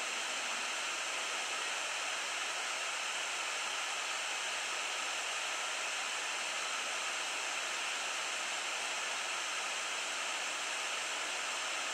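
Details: Steady broadband hiss fills the recording near Ibbenbüren before sunrise, with no animal call heard.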